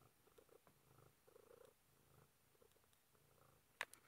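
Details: Indoors, Velo the cat, wedged behind a book shelf, gives a quiet, steady purr of repeated low pulses, ending with a couple of loud sharp knocks.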